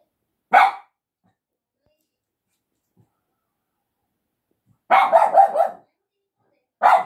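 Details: Domestic dog barking at a person, the hashtags naming a Shiba Inu and a Yorkshire Terrier: one sharp bark, a pause of about four seconds, then a quick volley of four or five barks and one more at the end.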